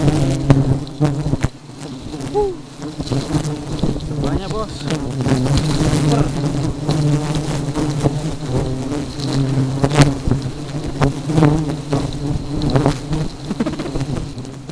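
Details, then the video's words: Very aggressive honey bees giving a continuous deep, even buzz rich in overtones, broken by frequent clicks and taps and a brief dip in the drone early on. "Lebah Madu Sangat Agresif"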